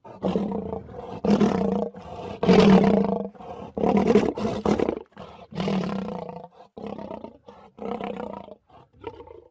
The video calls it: صوت الأسد - زئير الأسد - Lion Roar